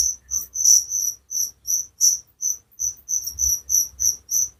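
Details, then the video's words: Cricket giving a shrill, high-pitched chirp repeated roughly three times a second, each chirp a short buzzy burst, slightly uneven in loudness, against a faint low rumble. "Suara Jangkrik penghantar tidur || Relaxing sound of crickers"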